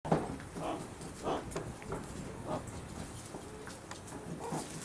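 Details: Meerkats at Aso Farm Land animal petting park in Kumamoto, Japan, filmed in October 2020, give short, nasal chirping calls at irregular intervals over a steady murmur of background noise.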